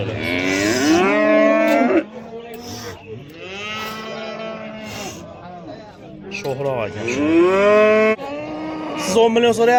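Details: Bulls at the Oqtepa livestock market in Oltinko'l, Andijan, Uzbekistan, bellowing in long, rich, harmonic moos, about four in ten seconds, each swelling and then sagging in pitch, with a murmur of people behind.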